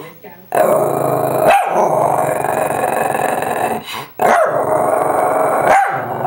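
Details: A female Shih Tzu "talks" to her owner during play with a squeaky toy, in long, wavering, grumbling moans that rise and fall.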